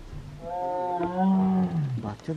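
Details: A tiger cub in zone 4 of Ranthambore National Park gives a loud, drawn-out, moaning roar that swells and then fades.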